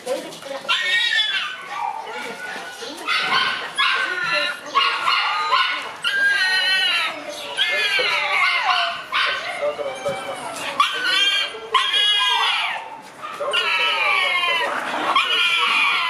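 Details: Ai, a seven-month-old black Shiba Inu puppy, on the morning she is picked up, gives a long run of high, wavering whines and yelps with rising and falling pitch. The calls come in bursts of a second or two, with short pauses between.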